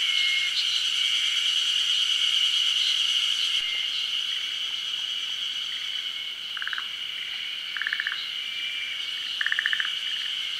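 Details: Forest green tree frogs, endemic to Japan, at a daytime spawning. A steady shrill insect drone dominates, then three short chattering frog pulse bursts follow in the second half, roughly a second apart.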